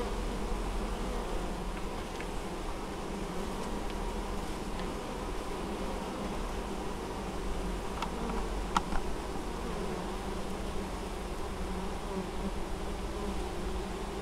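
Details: Apiary honey bees in Moszczanka, Opole Voivodeship, Poland, bringing in honeydew on 19 August 2013; a thick, unbroken low buzz of many bees, with a few faint clicks midway.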